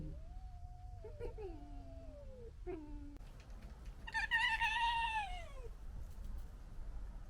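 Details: Local fox family arguing: drawn-out tonal whines sliding down in pitch, then a louder, harsh, rising and falling screech with rich overtones, over a low background rumble.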